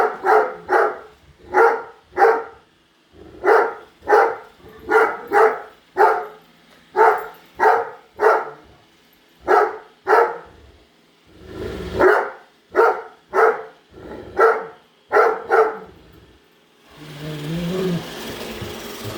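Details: Great Dane, a pet indoors, barking at a newly unboxed robot vacuum cleaner: loud, deep, harmonic barks repeated in quick bursts, about one every half second, with brief pauses, then a broadband noise and faint music near the end.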